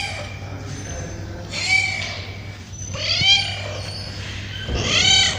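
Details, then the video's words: Several hungry street cats, male and female, crying for food at a feeding: faint mewing, then three louder wavering meows rising and falling, spaced about one and a half seconds apart, with a low background hum. "Billi Ki Awaaz | Cat Love Sound | Cat Voice"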